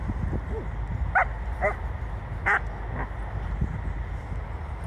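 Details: Leonberger dogs Luis and Elin, two dogs eleven years apart in age, giving four sharp, harmonic barks within about two seconds, the third loudest, over a steady low rumbling background.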